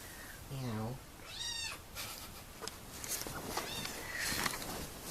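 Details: A kitten gives one rising-then-falling meow amid a low human voice, with some rustling and handling noise.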